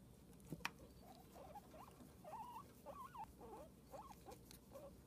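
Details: Pet guinea pig giving a run of short, wavering squeaks, mid-pitched and bending up and down, several in quick succession over a few seconds, with a sharp click near the start and low background rustle.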